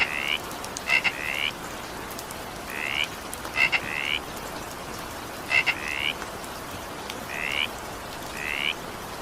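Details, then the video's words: Evening rain with a frog voicing brief upward-sweeping calls, several led by a double click, spaced irregularly roughly every one to two seconds against a constant wash of falling rain. "20 minutes evening rain sound effect with frog sound."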